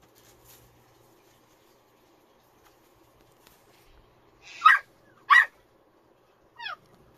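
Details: A puppy in a quiet room gives three short, sharp, high yelping whimpers late in the recording, the first two close together and the last one thinner and falling, with near silence before them.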